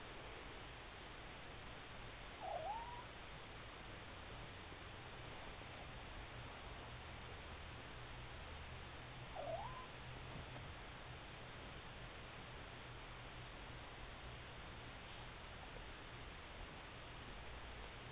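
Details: Todd, a kitten awaiting a loving home through ICARe, enthralled with getting a treat: two short rising meows about seven seconds apart over steady background hiss, with a person coaxing him to find his treat.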